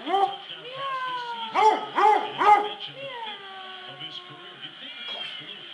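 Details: Basset Hound; howl; responding to a person meowing like a cat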